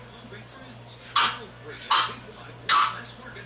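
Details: Boston terrier puppy barking while playing with a pug puppy: three short, sharp, high yaps spaced under a second apart, with a steady low hum and faint talking in the background.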